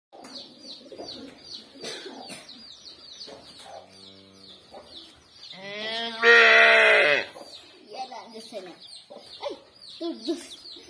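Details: Village cattle, a cow wanting her calf while a calf licks its companion: one loud, harmonic, drawn-out bellow of about a second midway through, with a brief lower call before it, chirping birds throughout and soft voices around it.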